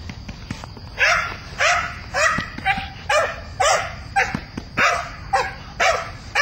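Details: Belgian Malinois named Mina in her first bite-work chase, barking at the bad guy with a friendly rather than aggressive bark; sharp barks repeated almost twice a second, fairly regular, with faint background noise.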